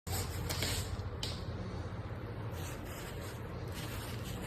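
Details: Low indoor rumble and handling noise with a few soft knocks, and no animal sound.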